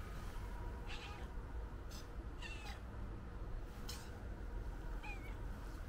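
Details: White stray cat being petted gives a few short, soft meows with a slight rise and fall, widely spaced across the clip, over a steady low outdoor rumble and scattered clicks and rustles.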